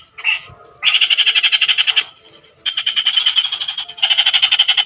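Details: After a short single note, a frog launches into rapid pulsed croaking in three long bursts, the rattling pulses coming several per second, with a quieter gap between the first and second runs.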